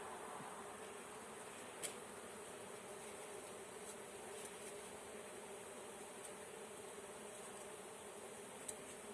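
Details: A swarm of honey bees being caught gives a continuous, even humming drone, with a few sharp clicks from handling equipment.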